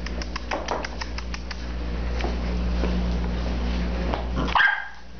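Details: A female terrier mix indoors gives a quick series of short barks and sharp vocal bursts over the first second and a half, then quieter scattered sounds, ending in a brief tonal squeak with a low steady hum beneath.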